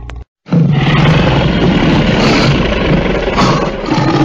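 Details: A lion roars in a long, harsh, sustained blast of deep, grainy sound after a short click and gap, staying steady and loud throughout with a rough, rasping edge.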